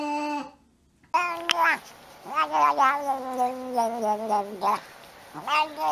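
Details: Talking pet cat indoors: long, drawn-out meows with a steady tone that wavers and slides downward, broken into babbling, speech-like pulses, with a short pause before the calls begin.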